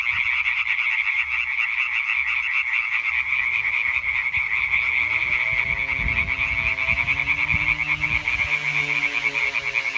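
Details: Chorusing European tree frogs, 20 May 2023, keep up a constant rapid rattling croak while a low droning, rising engine-like tone enters halfway and continues beneath them.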